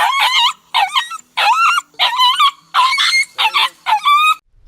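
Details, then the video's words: Dog crying with bursts of squeaky, bending whines in a row of seven, each lasting roughly half a second, sounding strained and yelping. "Cachorro Chorando [ Incluso Som de choro de filhote de cachorro ]"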